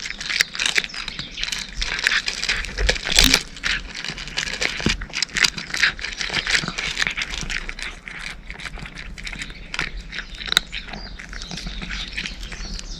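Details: Cat eating dry food: dense rattling crunches and crisp crackles, loudest in the first few seconds, then lighter, steadier chewing.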